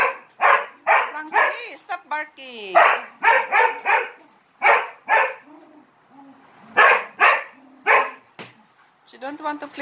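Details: Dog repeatedly barking for attention while playing against three Malinois; rapid, uneven volleys of short barks with a person talking and a whiny, sliding voice between them.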